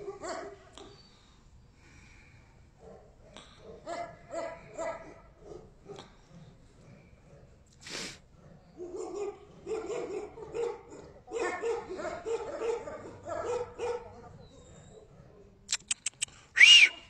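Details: Tibetan Mastiff barking in short irregular bursts of harmonic, mid-pitched barks separated by quiet gaps, with a sharp high whistle-like squeak near the end.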